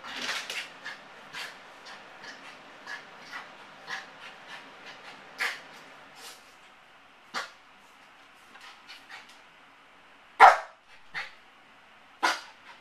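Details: Yorkshire Terrier Motley, alone indoors and anxious after his owners leave, a display lasting over an hour; scattered soft whimpers and short yelps, with two louder sharp barks near the end.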